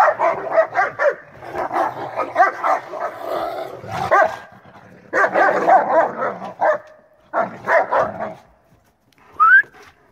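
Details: German Shepherds in a standing fight showing dominance: dense bursts of raspy snarls and growling barks over several seconds, broken by brief pauses, ending with one high, rising whine.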